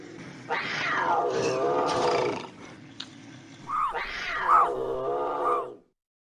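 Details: Intense bobcat howls used as a raccoon and rodent repellent: two drawn-out, strained yowls, each about two seconds long, rising sharply then sliding down into a raspy, throaty wail, separated by a brief quieter pause.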